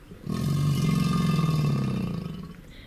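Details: A male crocodile gives a deep, rumbling, low-pitched bellow lasting about two seconds in mating season to attract females, a sound that can shake the ground and make surrounding water dance.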